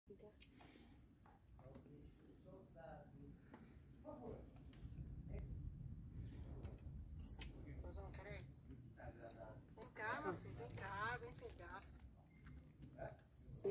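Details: Marmosets at a rescue institute, 13 May 2023, give thin, very high whistled calls, short and slightly sliding, over a woman's voice calling them.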